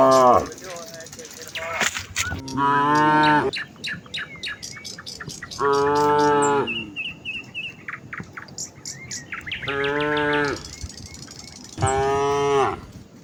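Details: Village cows in a herd heading to the fields on a morning path lined with green leaves, calling to one another: four drawn-out, strongly harmonic moos about every three to four seconds, small birds chirping in the background.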